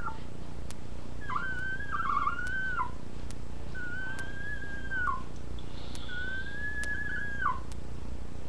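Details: Three drawn-out puppy whines, roughly every two and a half seconds. Each starts with a sharp upward flick, holds a level tone, then drops at the end, against a constant low hum with light clicking.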